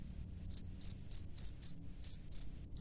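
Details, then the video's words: Male cricket at its nest calling a female, giving about eight shrill, high-pitched chirps at a brisk, slightly uneven pace over a faint steady ringing tone. "SUARA JANGKRIK JANTAN DI SARANGNYA MEMANGGIL JANGKRIK BETINA"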